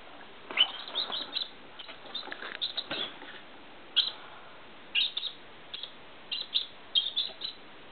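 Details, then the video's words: Hiccups from a squirrel that had been sucking. A quick cluster of thin, high squeaks comes first, then single sharp hiccup chirps repeat roughly every half second to one second. "Squirrel sucking... then gets hiccup"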